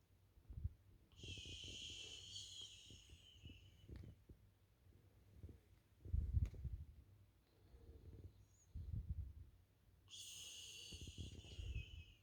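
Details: Isla, a French Bulldog asleep on the couch, breathes in soft, rhythmic, low snuffling snores, with high whistling nasal tones near the start and again at the end.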